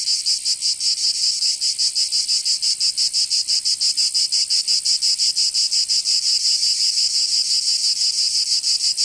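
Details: In southern France's Provence, cicadas sing through a summer day: a high, harsh, rattling drone beating quickly and fairly regularly, continuous from start to finish.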